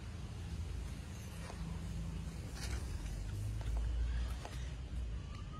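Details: Low rumbling traffic and outdoor urban noise dominate, with a few faint clicks and brief voices, and no animal call standing out.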